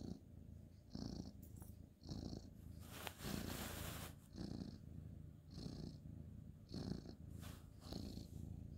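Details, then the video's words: Bedtime purring from a male orange tabby cat petted on a bed, 2/11/2023: rhythmic low purr pulsing about once a second, interrupted midway by a burst of rustling. "cute ginger tabby cat petting purring"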